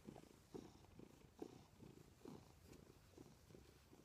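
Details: Milo the cat purrs next to its owner in bed, a soft, low vibrating rumble that pulses about once a second with each breath, in a quiet room.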